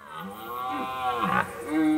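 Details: A red deer stag gives a long, hoarse, groaning rutting roar that swells and falls, late at night in an autumn forest in the Hautes-Alpes, during the September–October rut, calling to attract females.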